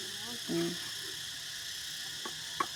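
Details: Cicada chorus during the Songkran season at Ban Dan Xang village, an unbroken high drone, with a brief spoken syllable and two light clicks over it.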